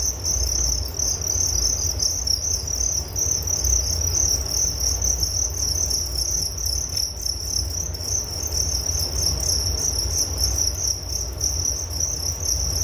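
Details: Crickets chirping in a steady, high-pitched, finely pulsed trill that runs without a break, layered over a soft low rumble of background noise.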